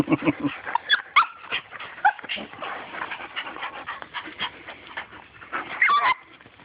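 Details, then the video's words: Excited little dog after a turtle makes monkey-like noises: continuous squeaky whimpers and short high yelps, with a few longer rising whines and faint talking mixed in. "Little dog wants turtle and makes monkey sounds"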